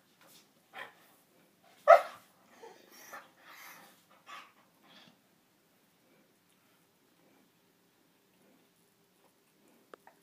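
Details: A foster basset hound, once emaciated and now learning to play, gives a quick run of gruff barks, yips and grumbling growls, then falls silent, while playing with a visiting dog.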